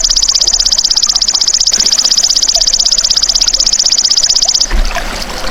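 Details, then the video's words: A golden grasshopper (belalang emas), recorded as tutor sound for songbirds, keeps up a shrill pulsed buzz, fast and regular, for over four seconds before it stops abruptly, leaving a soft noisy rustle. "MASTERAN BELALANG EMAS TERBAIK 2026 | SUARA ASLI"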